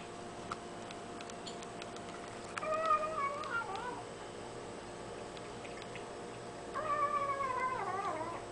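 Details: Tiny domestic kitten making little noises as it eats: two quavering, harmonic mewing calls, each about one and a half seconds long with wavering pitch that drops at the end, separated by a quiet gap with light clicks.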